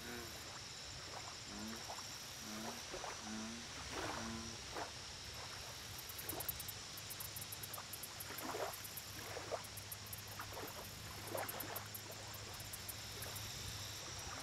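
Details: American bullfrog calling at a lake: a short run of low, harmonic croaks early on, then scattered clicks and plops. High rhythmic insect-like pulsing and constant hiss fill the background.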